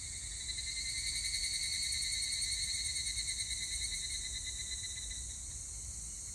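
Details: Evening cicada singing on 25 July 2019: a high, rapidly pulsed buzzing phrase lasting about five seconds, layered over a steady insect drone, then fading back into the background chorus.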